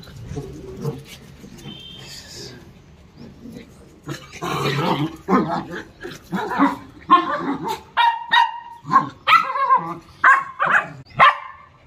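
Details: Dog at playtime, Lhasa Apso or Shih Tzu type, giving a series of sharp, bright barks, roughly one every second in the latter half, after softer grumbling and rustling sounds at the start.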